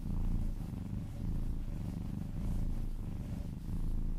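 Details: Domestic kitten purring while being massaged, indoors; a continuous low rumbling purr with gentle swells roughly every second, steady throughout with no other sounds.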